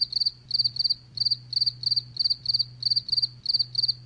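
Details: Steady cricket chirps, each a tight cluster of three or four quick pulses, coming roughly every quarter to half second over a faint low hum.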